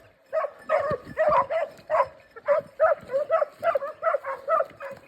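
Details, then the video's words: Segugio Italiano hound hunting hare in a forest in Cyprus, baying in rapid repeated yelping notes, about three per second, with steady cries throughout. "Segugio Italiano in Cyprus forest hare hunting"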